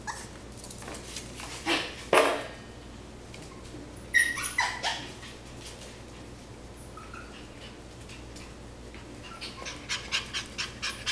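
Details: Cavalier King Charles Spaniel puppies, seven and a half weeks old, give a few short high squeaky whimpers around the middle of the clip, mixed with bumps and scuffling noises in a small room.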